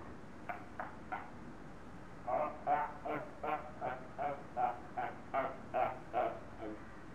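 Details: Captive seals arguing at Zoo Augsburg in Bavaria, Germany: three soft barks followed by a steady series of about eleven hoarse honking barks, roughly two or three per second, moderately distant.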